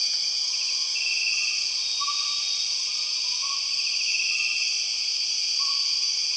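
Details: Continuous shrill buzzing of empress cicadas in Borneo rainforest, an unbroken multi-layered drone, with a few brief scratchy bursts riding on it and soft rising whistles faintly underneath.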